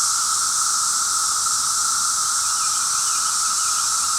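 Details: Cicadas on day five of their racket, harsh on the ears; a continuous, intense buzzing hiss with a steady lower tonal band, nothing else audible.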